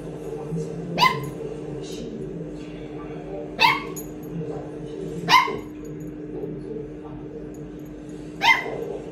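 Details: A male red Toy Poodle puppy barks indoors at his own reflection, seeing himself in a mirror for the first time. Four sharp, high single barks come a few seconds apart over a steady low household hum.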